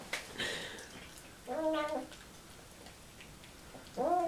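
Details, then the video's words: Bruno, a Siamese cat, talks while eating: two short harmonic meows, one near the middle and one rising at the end, muffled as if through a full mouth, between quiet gaps with faint speech and music earlier. "siamese cat, talking with his mouth full"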